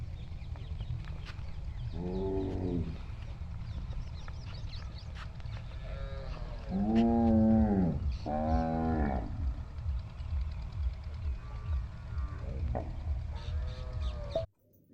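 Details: Cows of the Haryana Desi, Sahiwal, Tharparkar and Rathi breeds at a dairy farm in India, offered for sale, give several deep harmonic moos of about a second each, at two, seven and nine seconds, over steady low rumbling farm noise.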